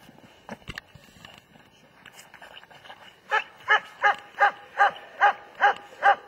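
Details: Faint clicks and rustling at first, then a German Shepherd breaks into a steady series of even, sharp barks roughly every half second.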